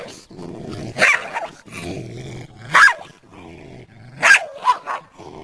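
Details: Garden chase of a deer: the dog alternates low throaty growls with sudden loud barks, some bending downward in pitch, in a tense, irregular pattern.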